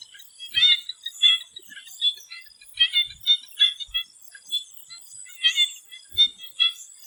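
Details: Frogs in a Thai swamp ahead of sunset give clustered bursts of crackling, rattly high notes, groups repeating roughly every second or so, backed by a continuous thin whine.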